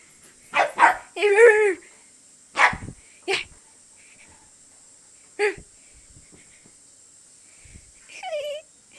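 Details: Siberian Husky puppy acting crazy during play, giving short wavering whining howls early on, a few sharp yips, and a rising whine near the end, with a woman talking between the calls.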